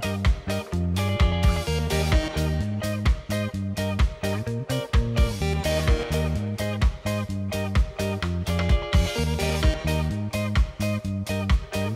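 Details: Upbeat funky guitar music with a steady strummed rhythm fills the whole stretch, with no barking or other animal sounds.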